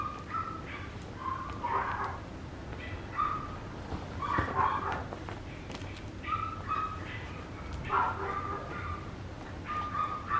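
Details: Papillon puppy giving short high yips and whimpering squeaks in bursts, scattered through the recording over a steady low background hum.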